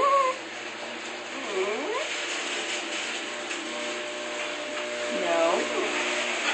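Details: Pet dog talking back indoors while being told no and to sit: two drawn-out, rising-then-falling whining grumbles, one early and one near the end, with a human voice giving commands and steady background hum.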